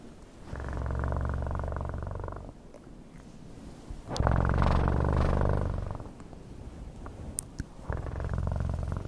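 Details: Cat purring in three loud, rhythmic bouts, each a deep vibrating rumble lasting about two seconds, separated by quieter gaps as the breath changes, with a few faint clicks.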